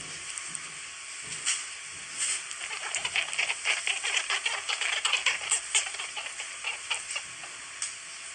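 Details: Newborn rabbit kits, one to ten days old, make rapid, faint, high squeaks and ticks in quick bursts, a sound made when touched or when they recognise their mother's smell as she comes to nurse.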